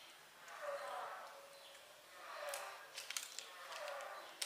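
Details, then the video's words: A mother cat gives a singing-like vocalizing of three long, wavering, drawn-out tones, each about a second, spaced roughly every one and a half seconds, with soft clicks near the end. "Mother cat seem to be singing karaoke"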